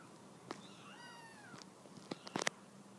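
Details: Mother cat from the Halifax Humane Society wanting her kittens down from the couch; one drawn-out arched meow, followed by sharp clicks and tapping sounds.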